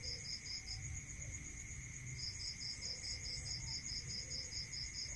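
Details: Crickets calling at night in a rural setting, a few quick pulses then a pause and a long even run of rapid chirps, above a ceaseless shrill hum and a lower constant tone.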